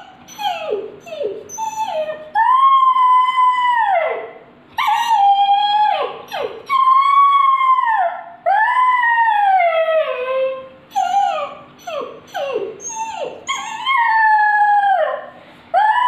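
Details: A hungry puppy cries in a quick run of short, sharply falling yelps, broken up by several longer, sustained whines that slide downward at their ends, almost without pause.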